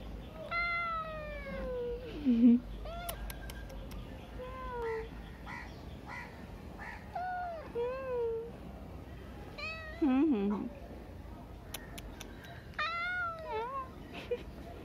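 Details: Street cat meowing: a series of harmonic, falling meows around one to two per few seconds, some ending in low rough dips, with faint background noise and occasional clicks.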